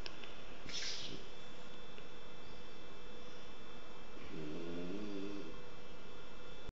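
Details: Kike, a French Bulldog, asleep and snoring hard: a steady low rumble over room noise, then a drawn-out, buzzy harmonic snore swelling near the end.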